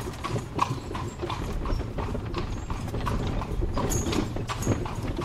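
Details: A horse-drawn carriage rolls along cobble streets in Spain with no traffic: hooves clip-clop in a steady rhythm over hard cobbles, with a low rumble of wheels beneath; horse.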